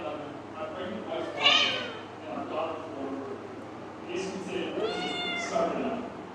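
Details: Pet kittens calling for their owner with attention-seeking meows: a rising-falling meow early on, then a longer arched meow with a bright harmonic stack later, over people talking in Bengali.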